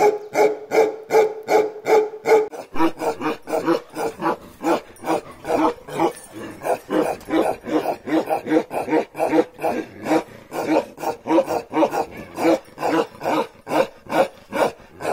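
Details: Bakarwal dog, a big lion-head pure-line type shown with puppies, barking in a steady rapid series of short punchy barks, about two per second, with some higher tonal yelps early on.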